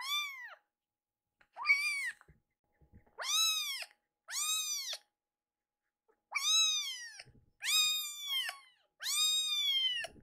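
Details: A pair of hungry foster kittens, upset that their milk and weaning food come late, cry insistently indoors: about eight loud, rising-then-falling, strongly harmonic meows, some doubled, spaced a second or two apart.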